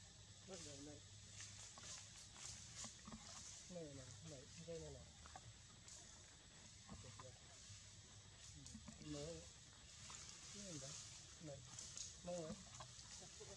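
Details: Newborn baby monkey crying near its mother: short wavering, whiny cries in bursts, repeated every second or two, with a steady hiss and faint background noise.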